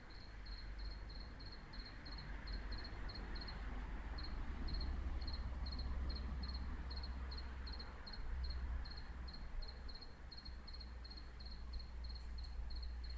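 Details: Nighttime cricket in Jelgava, Latvia, heard chanting for over a week; short high-pitched pulsed chirps come in an even, rapid series, roughly three or four per second, above a constant low hum and distant rumble.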